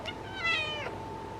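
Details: Female orange cat answering with a single clear meow at sunset, swelling in the middle and then tailing off, with soft steady background hum.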